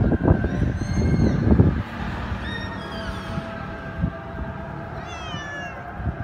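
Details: Cat meowing: several high, wavering meows with rising and falling tones, strongest near the start and again near the end, over loud low rumbling background noise and a steady hum.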